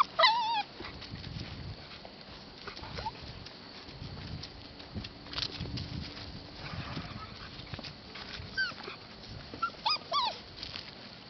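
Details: Husky Lab mix rescue pups whine in brief, high wavering bursts, one at the start and a few more near the end, with a long quieter stretch of rustling and light knocks in between.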